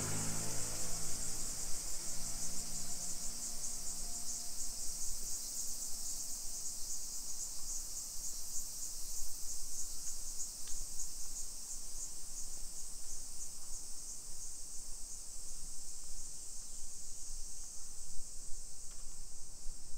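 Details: In a Nisshin city residential district outside Nagoya, Japan, at 1 PM on 28 July 2021, summer cicadas keep up a constant piercing buzz; a low tonal hum sounds in the first seconds, then only the insect drone and faint ambient rumble remain.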